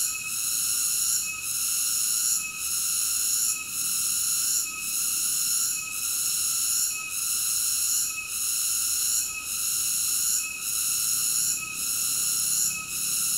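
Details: Singing cicada: an unbroken, piercing high drone of layered tones, softening briefly about once a second in a steady rhythm. No other animals or noises stand out.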